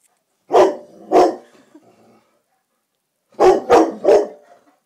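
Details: Rossi, a black Labrador, barks at a silk orchid indoors one evening: a pair of sharp, gruff barks, a pause of over a second, then a rapid burst of three more.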